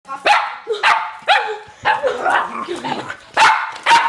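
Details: Joy the pet dog barks while playing with a laser: sharp, broadband yaps in a steady series, about two every second, each bark bursting loud and cutting off quickly, with no other clear sounds behind them.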